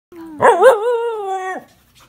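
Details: Samoyed dog that talks a lot every day, giving a drawn-out, melodic howl-like vocalization: a short low tone, then a wavering, rising-and-falling yodel that levels into a steady held note before stopping abruptly, indoors.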